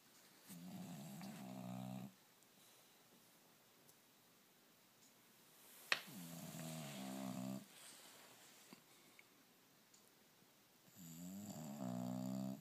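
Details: A sleeping Bulldog snoring indoors, recorded on an iPhone 4S. Three long, buzzy, droning snores of about one and a half seconds each, separated by quiet gaps of roughly four seconds. One sharp click is heard between them.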